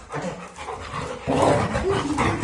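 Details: Labrador Retrievers named Zera, Tom, Foxy and Alabel fighting together; rough panting and throaty growling noises, swelling into a louder scuffling burst halfway through, with a person's voice commenting in Tamil.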